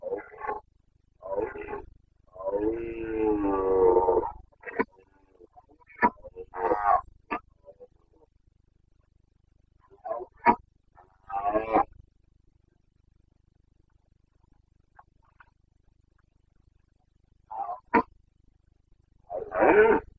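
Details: Carpathian red deer stag roaring during the rut in the Bucovina mountains of Romania, late September 2022: a long harmonic bellow followed by several shorter hoarse grunting roars spaced irregularly, with quiet gaps between.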